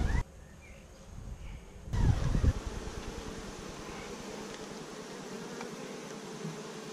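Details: Beekeeper's honey bee colony at week five, begun with 15,000 bees in May 2017, GoPro recording; a muffled opening gives way to a louder swell of buzzing, then a steady droning hum with a faint higher tone.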